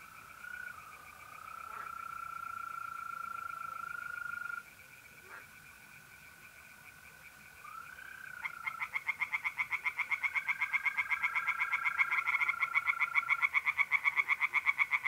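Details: Singing tree frogs by a pond in north-east Italy on an April night, with a long steady trill of mole crickets running beneath; frog pulses start after a lull and repeat rapidly, about four per second.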